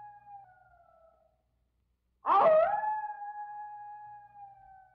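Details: Wolf howl: the fading end of one steady, level howl, a short silence, then a new howl that bursts in roughly and holds a smooth, sustained tone to the end.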